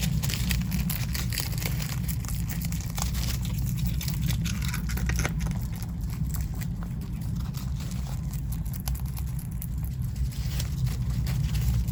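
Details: Dense low rumble with crinkling and rustling indoors, with no animal call.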